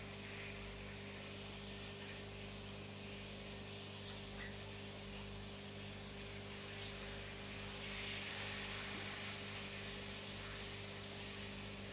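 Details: Steady electrical hum and broad background noise, with a few faint clicks, and no clear animal calls.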